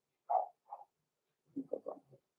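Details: Six-week-old blenheim Cavalier King Charles Spaniel puppies, Roman and Blue, born November 14, 2022, indoors in a puppy pen. Two short mid-pitched yelps, then a quick run of four lower, grunting yips after a pause.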